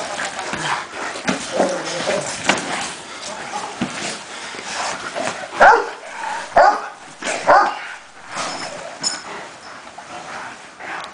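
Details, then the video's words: Cane Corso during training, with a human voice and scuffling throughout, then three sharp barks spaced about a second apart near the middle, followed by quieter movement noise. "Cane Corso Training"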